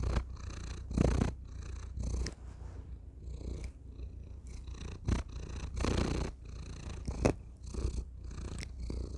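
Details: Thor, a house cat, purring right against a tiny microphone: a rhythmic low rumble broken into breathy bursts roughly once a second, with occasional contact clicks.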